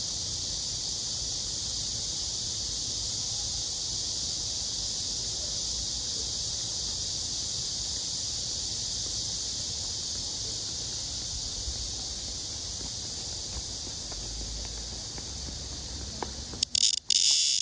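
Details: A male blackish cicada, held clasped together with a female, gives a loud, unbroken, hissing buzz as a courtship serenade, ending in brief rustling.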